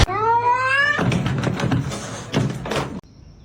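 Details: Pet cat producing one drawn-out meow that rises gently in pitch for about a second, followed by rustling and thumping household noise.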